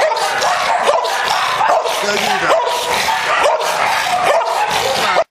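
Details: Very aggressive American Bulldog giving rough, repeated barks about once a second, harsh and broadband, with steady background noise until an abrupt stop near the end.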